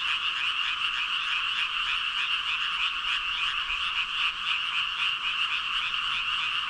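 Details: A huge gathering of about 5,000 frogs croaking in unison-like chaos, quick irregular pulses stacked into a continuous high, buzzing chorus that never pauses.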